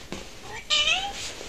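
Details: A domestic cat in a home shared by five cats, meowing indoors: one short faint mew, then a clearer drawn-out meow that slides downward and fades over about half a second, with a woman's voice nearby.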